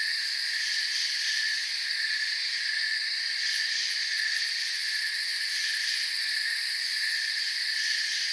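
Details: Forest crickets keep up a continuous high-pitched trill, many insects blending into an even, droning wall of sound with slight pulsing near the top, steady in loudness throughout.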